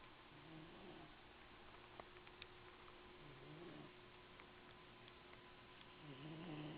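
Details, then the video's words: A male cat named Evil Kittie dozes in an "Emily the Strange" box in 2008; soft, low, rasping snore breaths sit under steady room hiss, with a few light ticks in between. "Evil Kittie Snores!"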